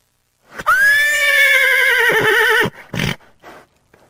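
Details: Horse whinny: a loud, high, quavering neigh lasting about two seconds, holding steady then fading with a wavering tremor, followed by a short snort and faint breathy sounds.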